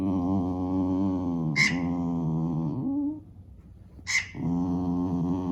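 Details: Pet dog keeps complaining about a squeaking mouse game for cats, holding a long, steady, droning moan that dips and breaks off midway, then resumes, with two sharp high squeaks from the game cutting in.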